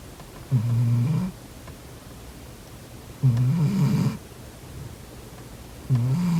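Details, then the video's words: Snoring house cat asleep, three low throaty snores about every two and a half seconds, each a rumbling breath lasting under a second, with soft background hiss between. "코 골면서 자는 고양이 콧구멍 막아보기😺 코고는 고양이 Snoring cat"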